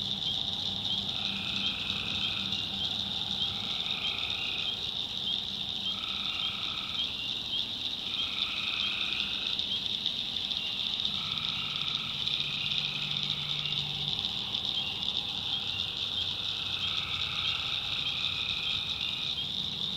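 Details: Night chorus of tree frogs in a North Carolina backwoods swamp. A steady shrill pulsing trill runs throughout, overlaid by lower nasal droning calls in repeated bursts of about one to two seconds, some overlapping.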